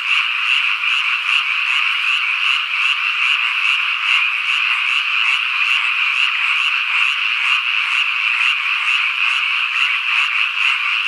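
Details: Cicadas, including higurashi and Robust cicada (niiniizemi), give a steady, high, shimmering, faintly pulsing buzz on a summer evening in the countryside of Ikusaka village, Nagano, Japan, where wild birds and frogs are also heard.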